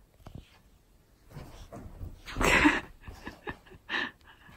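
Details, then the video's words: Siberian Husky named Keyush, indoors in the morning, lying in bed and reluctant to get up. He gives a loud breathy, noisy grumble of about half a second, then a shorter huff a second and a half later, with a few soft rustles between. "What The Morning With My Husky Looks Like"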